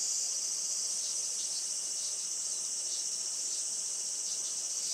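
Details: Cicada chorus on a sunny 20 July 2024 around 11:30 am, traditional farm in Saitama, Japan; loud, shrill, high buzzing with rapid flickering pulses layered over a steady drone.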